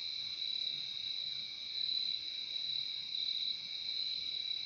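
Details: Relaxing nature recording of crickets, countless callers blending into a smooth, piercing high tone over a softer lower one, sustained without pause and swelling slightly midway, with no other sounds present.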